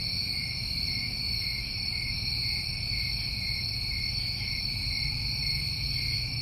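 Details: Crickets recorded in New England in summertime, a steady chorus of continuous high trilling at two pitch levels, one higher and one lower, with no pauses, over a low rumbling background hum.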